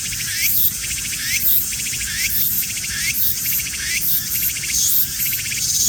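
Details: A slowly moving cicada sings in rapid pulsed buzzy bursts, roughly one phrase per second, each closing with a short upward swoop, against a steady high-pitched background hiss.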